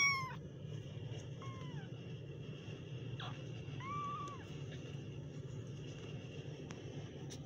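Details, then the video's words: Kittens giving a handful of thin mews: one sharp cry at the start, then a few softer, drawn-out calls within the first four seconds, then near quiet over a low hum. "kittens Meow"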